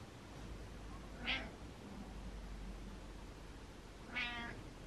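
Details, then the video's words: Butters the cat meows back in answer to a meow: two short, faint meows about three seconds apart, each a brief rising-falling cry, over a steady low background hum. "Cat Meows To Meow"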